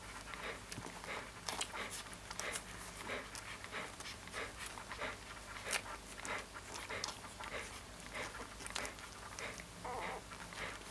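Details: Rapid, rasping breaths from a Siberian Husky puppy, about ninety-four puffs per minute, irregular in spacing, some bursts louder than others, over a faint steady background hum.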